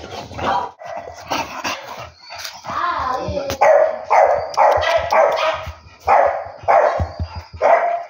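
An English Bulldog gives a run of deep, hoarse barks and woofs, roughly one each second.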